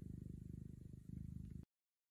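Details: A domestic cat purring steadily, a low rumbling throb pulsing rapidly and evenly for under two seconds before cutting off abruptly; no other sounds.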